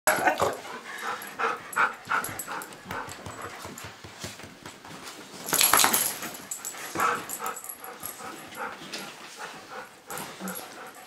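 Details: Pit bull pup Cosmo and his big brother Bailey, a golden retriever, wrestle in play; dense scuffling bursts with short growls and yips come several times a second, swelling to a loud flurry midway.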